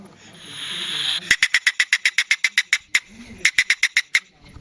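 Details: Polecat in its natural habitat: a breathy hiss swells for about a second, then gives way to a rapid staccato chatter of sharp clicking bursts, about four a second, broken by a brief pause before a final run.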